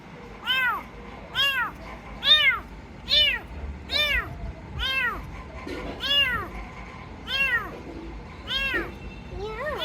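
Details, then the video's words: Rescued kitten meowing repeatedly, short rising-falling mews about once a second, each bright and harmonic, with faint background hum. "Cats Meowing"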